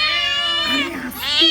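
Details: A hungry stray street cat gives loud, drawn-out meows that swell and fall, followed by a rising wail, while nearby household cats seem frightened by its cries.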